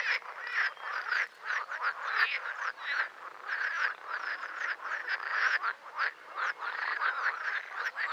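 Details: Several green frogs (Pelophylax) croak at once, producing a continuous stream of harsh, pulsed rattles and short quacking bursts that rise and fall in volume every half second or so.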